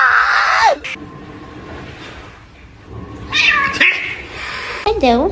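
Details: Domestic cat meowing indoors: a long, drawn-out meow that falls away at its end, then a pause and two shorter wavering meows, the last bending up and down, over soft room noise.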